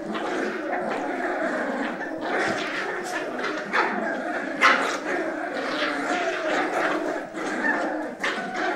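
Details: Steady snarling from four Cavalier King Charles Spaniel pups wrestling over a sock at home, a thick layer of rough growls with small higher squeaks breaking through now and then.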